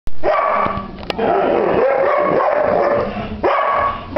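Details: Rosie, a seven-year-old Irish Setter, torn between playing outside or getting shoes off, recorded 29 January 2009; a loud, sustained, wavering whine-howl holds steady for about three seconds, then starts again near the end.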